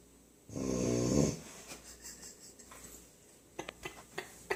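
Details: A puppy snores in its sleep, likened to a grown man: one loud, buzzy, rattling snore lasts under a second, followed by softer breaths and a few small clicking sounds in a quiet room.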